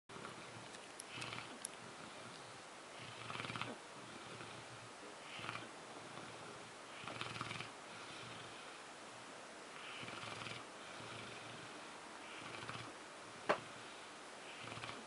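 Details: French Mastiff asleep and snoring, soft rasping breaths swelling every few seconds above a steady background hiss, quiet and low-level throughout.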